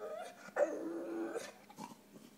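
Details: Puppy Ruger, unhappy after neuter, gives a sustained groaning whine that holds steady then fades, with softer whimpers before and after, indoors.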